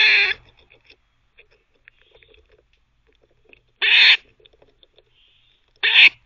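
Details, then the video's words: Teething squirrel barking: three short hoarse bursts spaced about two to four seconds apart, with faint clicks and gnawing filling the gaps. "Squirrel barking (while teething)"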